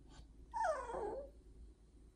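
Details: Disapproving pet corgi voicing a complaint to its owner: a short, strained whine that drops quickly from a higher note to a lower one, then fades into quiet.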